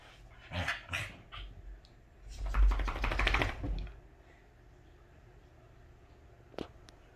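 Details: Welsh Corgi at home in its happiest mood, giving two bursts of rough, noisy grumbling barks, a short one then a longer run of about a second and a half, followed by a person talking.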